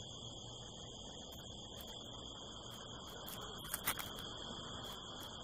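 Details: Crickets on a California desert night under the harvest moon keep up an unbroken high, ringing trill, while a brief cluster of knocks and rustling clicks sounds near the four-second mark against a soft low background.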